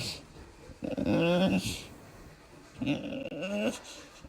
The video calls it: Weird bulldog sounds (Yogi the Old English bulldog)